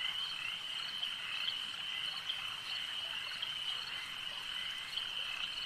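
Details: A chorus of frogs at a lake: a steady high ringing trill from many animals at once, with a few slightly louder notes popping out at irregular moments.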